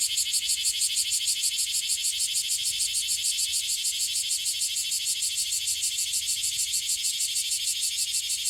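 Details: Loud shrill pulsed buzzing from a bear cicada in Okinawa, noted as calling frequently, with even, rapidly repeated throbs holding steady for the full length.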